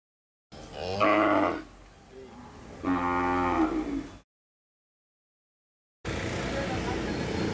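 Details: Hallikar stud bull at the Magadi cattle fair giving two drawn-out, rich harmonic moos of about a second each, followed by a silent gap and then a noisy crowd background.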